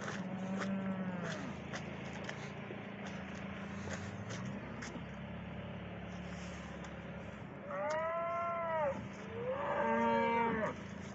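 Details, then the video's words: Several cattle mooing on a morning, with two drawn-out, wavering moos near the end over a steady low hum and background farm noise. "COWS ARE NOISY THIS MORNING."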